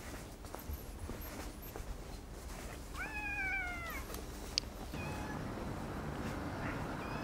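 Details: Orange tabby cat known as Chatora No. 2, one of a pair of tabby brothers that now seldom shows itself, seen again after half a month: one drawn-out meow about a second long, rising then sliding down, over a steady low background hum.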